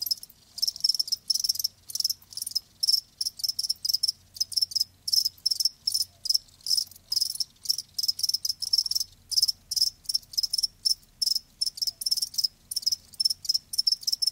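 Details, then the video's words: Steady chirping of live crickets, short high pulsed bursts repeated evenly several times a second, multiple insects overlapping into a continuous shrill chorus; faint low hum beneath. "Live Crickets 60min "Natural Sound""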